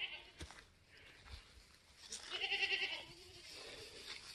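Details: Newborn F4 Mini Alpine buckling, black with white frosted ears and nose, born on a homestead on March 13, 2021, gives a single quavering, high-pitched bleat lasting under a second, with a woman's voice speaking nearby.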